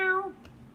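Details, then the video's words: A kitten in the background gives one short, high meow that slides slightly downward in pitch. "Oh, you can hear the kitten in the background. I don't know if that's Rudy or another cat, but can you hear a little like"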